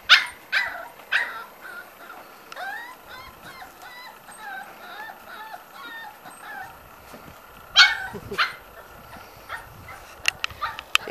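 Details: A litter of Corgi puppies, five weeks old, whine and yip in protest at being kept from passing through; thin wavering whimpers run steadily with a few sharper, louder yelps breaking in near the end.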